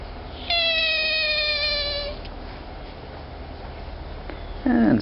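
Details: Rare baby African clawless otter, switching between eating, sleeping and singing, gives a long steady harmonic squeal of about one and a half seconds, then a short rising squeak near the end over faint background hiss.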